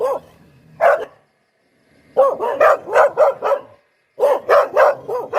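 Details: A Poodle gives one bark, then after a silence rattles off a rapid run of about six barks, pauses, and follows with another fast series of five barks.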